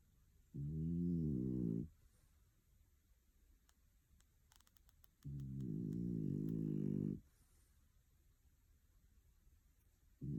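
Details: Loud man-like snoring from Picco, a young female French Bulldog sleeping at home in Tokyo; two long, deep, rattling snores a few seconds apart, the start of a third at the end, with faint ticking between.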